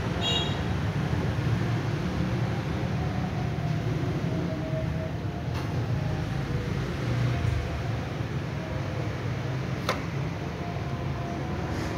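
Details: A steady low engine rumble runs throughout with no animal voice, broken only by a few faint clicks near the middle and end.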